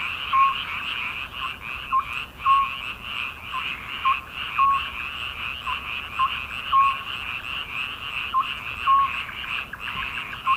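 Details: Frog chorus on a midsummer night, a continuous rasping throb of many callers with short, bright notes repeating irregularly every second or so, and the chorus swelling and dipping throughout.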